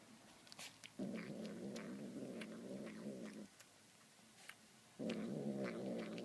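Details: Domestic cat eating tuna, making demonic-sounding calls: two sustained low raspy growls, the first about two and a half seconds long, then a pause with light clicks before the next growl starts.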